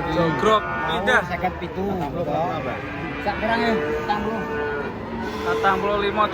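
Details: Large cattle coming down off a truck: repeated short bellowing moos with arching pitch, several animals calling at once, mixed with people talking nearby.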